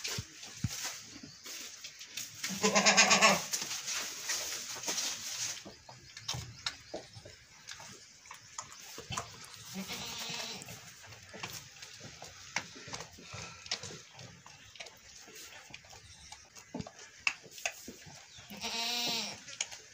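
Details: Goats at milking time, one having butted a calf; two loud, quavering bleats sound near the start and again near the end, with quieter rustling, faint voices and background noise in between.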